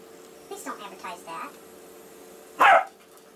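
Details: Indoor play fight between two dogs, Molly the labradoodle and Casey, a six-year-old rescued basset hound from a puppy mill; a person talks briefly, then one loud, harsh bark bursts out before quiet returns.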